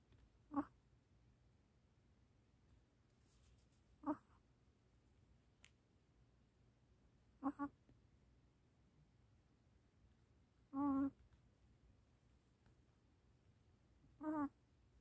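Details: Puppy named Gureum babbling in its sleep indoors, five short soft whimpering squeaks spaced a few seconds apart over a quiet room hum.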